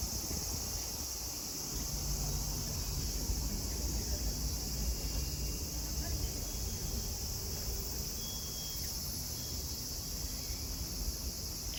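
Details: Cicadas sing at Kozoji Temple, the Takakura Kannon, in Yana, Kisarazu, Chiba, Japan: a steady high, hissing drone holds throughout, with low rumbling beneath and faint murmurs of people.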